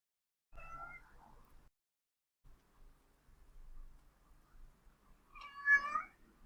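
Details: A male domestic cat first meows, then slowly begins to yowl, high-pitched and drawn-out, while calling for a mate.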